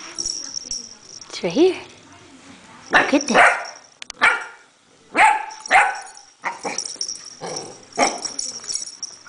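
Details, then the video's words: Chewy, a puppy, barking at a pill bottle: sharp high barks in short bursts, some doubled, mixed with a person's voice urging the puppy on and a whistle-like rising sound early on. "Chewy puppy barking at a pill bottle"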